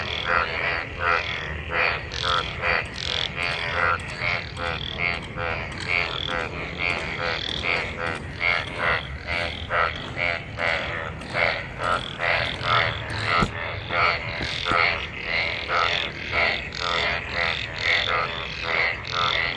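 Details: Frogs in monsoon rainwater, many gathered and mating, calling together; loud harmonic croaking chorus with rapid repeated pulses and overlapping voices filling the whole stretch.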